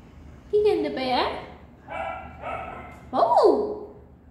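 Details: Pomeranian dog greeting its friends at the gate after a long time apart; three excited high yelping whines, sliding up and down, with loud harmonics.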